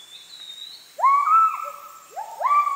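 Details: Wild Müller's gibbons (kelempiau) calling in the Heart of Borneo rainforest near Sriwangi Village, Kapuas Hulu: after a faint high whistle, loud rising whooping notes that level into sustained tones, with a second pair of notes near the end.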